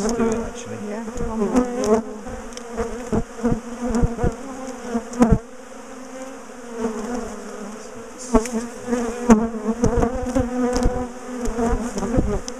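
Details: Bees of a large, defensive top bar hive colony during splitting and moving; loud continuous droning buzz that swells and wavers, with frequent clicks, thuds and wooden knocks from the hive being taken apart.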